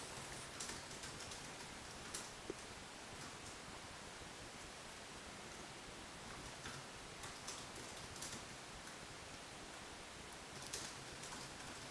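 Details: Faint, steady hiss with occasional soft clicks and rustles.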